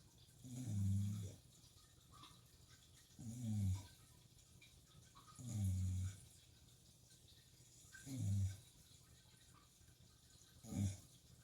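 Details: Shiba Inu asleep at night, snoring indoors beside an aquarium: five deep, rumbling snores at slow, fairly even intervals of about two and a half seconds, over a steady low hum and faint bubbling of tank water.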